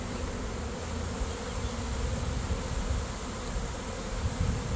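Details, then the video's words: Honey bee swarm of an estimated 15,000 to 20,000 bees with their queen, buzzing during a shakedown into a box for relocation to a new hive; a steady low droning hum fills the whole stretch with little variation. "Saving the Buzzing Bees"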